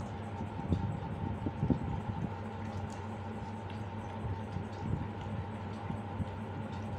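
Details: Steady low indoor hum with faint bubbling and scattered soft clicks, no animal voice heard.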